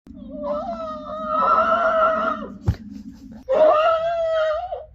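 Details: Friesian horse reacting while another horse annoys it: two drawn-out, tonal, squealing calls with rich harmonics, the first about two seconds long and the second over a second, separated by a brief sharp knock.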